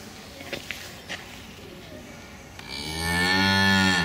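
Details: One of two cows waiting to be led back into the barn at the usual time, mooing loudly in protest because the keeper is late; a few faint knocks, then a loud moo that swells and falls away.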